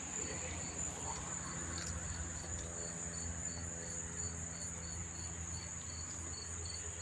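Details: Chorus of many crickets near Monmouth Park Racetrack, New Jersey, September 4, 2023: a constant high-pitched ringing trill overlaid with evenly spaced short chirps, plus a low background hum.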